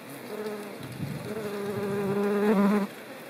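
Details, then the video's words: Ivy bee in the countryside of central France, Nouvelle-Aquitaine, on 17 September 2018, gathering pollen and nectar for larvae in a ground burrow; a steady droning buzz that slowly swells, rising slightly in pitch before stopping abruptly. "COLLÈTE du Lierre/Colletes hederae ! BRUITX"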